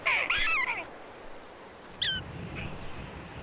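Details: A prairie dog in a prairie dog town gives a loud, ringing, swooping jump-yip and then a shorter squeaky note over a low rumble, after a red-tailed hawk has left, signalling it is safe to come out.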